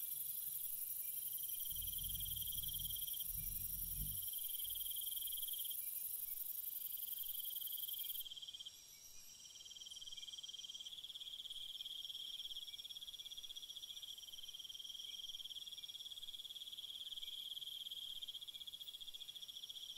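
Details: Nighttime cricket chorus: dense, high-pitched chirps repeat rapidly and without a break, layered over a fainter ultra-high trill that fades midway, with a brief low rumble early on.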